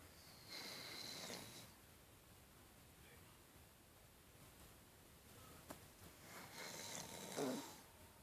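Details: A dog asleep and dreaming gives two breathy, hissing snores about six seconds apart, the later one ending in a short squeaky wheeze, with quiet room noise between them.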